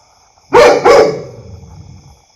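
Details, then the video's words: Two loud, harsh barks from a domestic dog in quick succession, followed by a long echoing decay in a reverberant room. "Dog Barking Sound Loud | Dog Barking Voice | Dog Barking Loudly"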